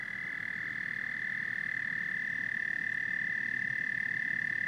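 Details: Frogs and toads in a dense night chorus: a steady, high, ringing trill holds without a break, over a low, rapid, rattling layer of overlapping croaks, with no other sounds.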